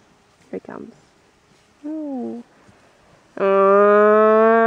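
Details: Cattle being herded, with two brief noisy sounds and a short wavering call, then a loud, level moo that holds steady to the end.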